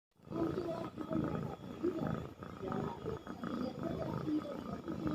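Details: A sleeping domestic cat, lying pressed close to others, snores in rough, rasping breaths that rise and fall about once a second, with a low buzzy rumble under each breath.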